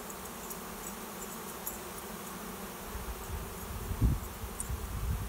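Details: Swarm of honey bees filing into a swarm trap behind a garage to make a new home; a dense low hum of many wings continues throughout, with louder thumps and close buzzing passes near the end.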